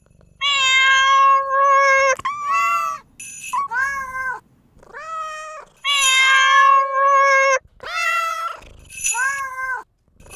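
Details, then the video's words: Domestic cat giving loud, insistent meows, some long and level, others short and rising then falling, roughly one every second, with a faint high ringing tone in places and quiet gaps between. "貓咪 meow 音效"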